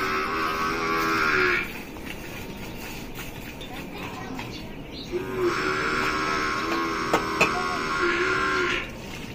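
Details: Gir cow being milked, from Rajasthan: a steady, droning moo lasting over a second, then a longer drawn-out moo of several seconds, with clicks and handling noises between.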